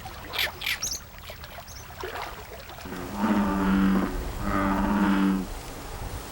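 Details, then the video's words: American bullfrogs, released into a Korean reservoir, whose moo-like calls came to cover the reservoir as their numbers grew; two deep, drawn-out drones about a second each, after softer rustling and voice-like sounds. "황소개구리 울음소리가 저수지를 뒤덮었고 그 수는 기하급수적으로 늘었다"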